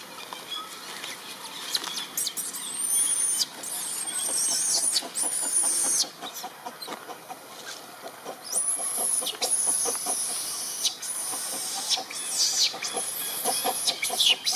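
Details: Baby monkey Britta, a wild monkey of the Amber troop, crying loudly after her friends left her; thin, very high squealing cries in long bursts, several rising then falling, with steady clicking and rustling beneath.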